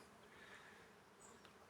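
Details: Honey bees foraging on a carob tree fill the air with a steady, droning buzz from many wings at once.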